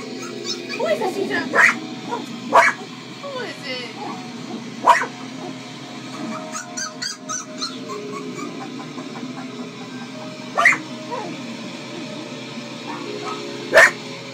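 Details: A male Cocker Spaniel gives sharp, single barks at uneven intervals at the sound of puppies playing on a computer, while a person talks softly.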